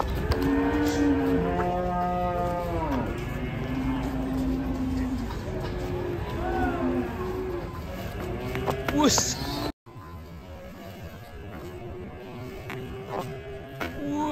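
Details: Banteng cattle from a herd mooing strongly, with a long rich moo at the start followed by several shorter overlapping calls, then a brief break and a quieter final moo; light music underneath.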